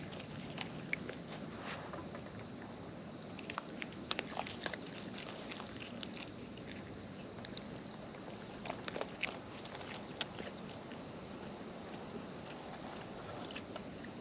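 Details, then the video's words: Raccoons in the wild eating up close: quiet, scattered crackling clicks and nibbling crunches keep coming throughout, with brief louder snaps, against a low constant natural background. "Wild Raccoons & ASMR Chewing Sounds"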